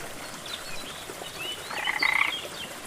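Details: A frog gives a brief, rapid pulsed trill over the steady hiss of a jungle waterfall in rainforest ambience.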